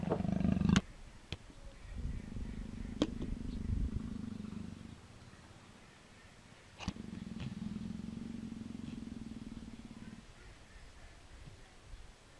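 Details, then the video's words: Persian leopard, fawning and nuzzling, gives quieter low rumbling purrs in two long stretches of about three seconds each, after a short opening sound, with a few faint clicks. "Персидский леопард - ластится"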